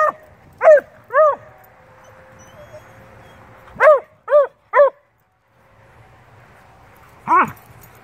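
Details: Two dogs, a beagle/shepherd mix and a bluetick, talking and playing together; short arched barks with strong harmonics in loose clusters of two or three, separated by quiet gaps, plus a faint low hum beneath.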